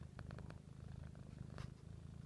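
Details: A female Siamese cat under a blanket indoors purrs steadily, a low, rapid, rumbling vibration with a few soft rustles.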